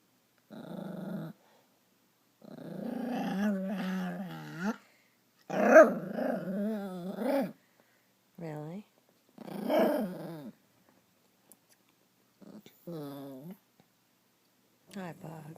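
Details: A dog named Stella, angry after another pet, Max, stole her chew toy, lets out long grumbling growls with wavering, moaning pitch in several bursts of one to two seconds, while a person talks to her soothingly between them.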